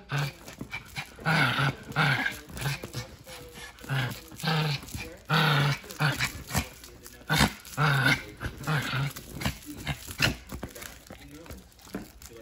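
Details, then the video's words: A Pomeranian teasing to play, with repeated low growls and grumbles in short bursts across the recording, some breathy and rough, over a steady high electrical whine. "Pomeranian teasing to play.."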